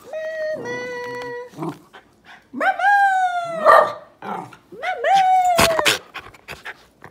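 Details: A Miniature Schnauzer gives drawn-out, tuneful whining howls that slide up and then sag, almost like talking, as if holding a conversation with its owner.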